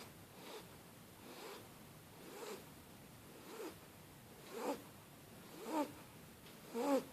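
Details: Asleep on a blanket, the Shar Pei puppy Starbucks breathes in soft snuffles that build into louder, rattling nasal snores toward the end, one roughly every second.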